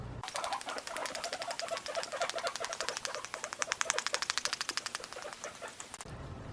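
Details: A guinea pig (Cavia porcellus) chatters its teeth in a fast, dry run of sharp clicks. This signals irritation, annoyance or a dominance warning to another guinea pig and is heard during introductions and everyday cage life, sometimes as a sign of pain.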